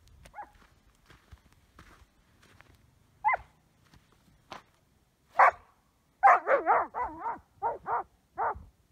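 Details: A pet border collie named Ben, playing obsessively with a chunk of ice, gives scattered soft sounds, then a run of short harmonic barks and yelps in the last few seconds.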